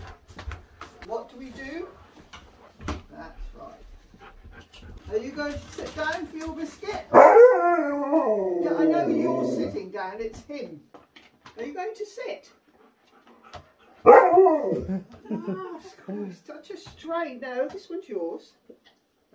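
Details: Impatient Siberian Huskies, waiting to go out and play, give two wavering howls about seven seconds apart, the first long and drawn out, the second shorter, amid a woman's chatter, whines and household knocks.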